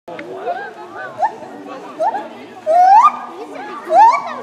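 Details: A white-handed gibbon at Cerza zoological park, France, sings clear, upward-sliding hoots, each higher and louder than the last, over steady human voices and children's chatter.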